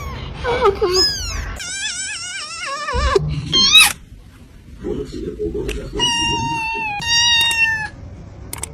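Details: Pet cat indoors producing drawn-out, wavering meows that slide downward, then a high squeak, low murmuring sounds, and two steady, clear meows near the end.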